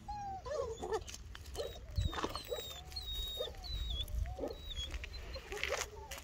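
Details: Two-month-old Bernese Mountain Dog puppies whimpering: several thin, tonal whines that rise and fall, some short and some drawn out, overlapping softly against a low rumbling background with faint high chirps.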